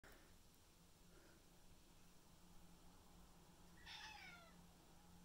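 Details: Two male cats, Tom, black and white, and Mimi, white and ginger, play fighting indoors; after a quiet stretch one short, falling, nasal meow sounds near the end over a low steady hum.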